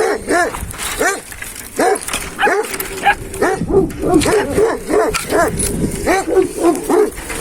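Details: Hançer, a purebred Kangal dog whose sire is Kurtboğan, recorded 26 April 2024, barks steadily and repeatedly, roughly one to two barks per second. The barks are resonant and throaty, with a human voice and handling noise in the background.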